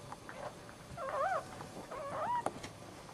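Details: Newborn male Dachshund puppy, first of the litter, just after birth: two short wavering, bending whines about a second apart, thin and high with a brief click near the end, over a quiet room hum.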